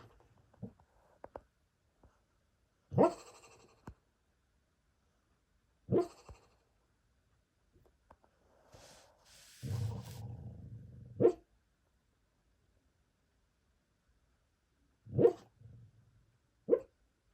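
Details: A sleeping Beagle, dreaming, lets out soft stifled woofs at irregular gaps, with a longer breathy rumbling stretch midway before more brief muffled barks.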